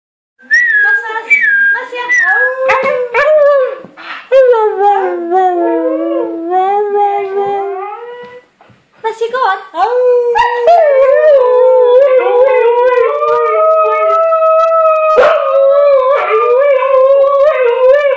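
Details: Huskies howl together in long, wavering, tonal cries that slide up and down, with yips and squeaks between.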